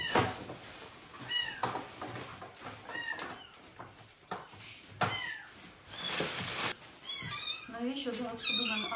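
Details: Newborn rescued street kittens without a mother, kept indoors in a warming box; thin, high meows rise and fall in short bursts, repeated through the stretch and clustering near the end, over a woman speaking Ukrainian and handling noises.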